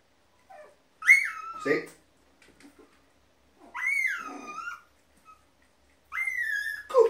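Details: Five-week-old Border Terrier puppies during a training session, heard in three high, drawn-out whining calls that leap up, then slide down over about a second each, with brief spoken words between them indoors.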